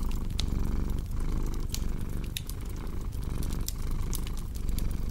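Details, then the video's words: Steady purring from a cat, a low vibrating drone rising and falling in breath cycles under roughly one second long, with crisp fire crackles and pops sprinkled throughout. "Purring Cat with Cozy Crackling Fireplace Sound"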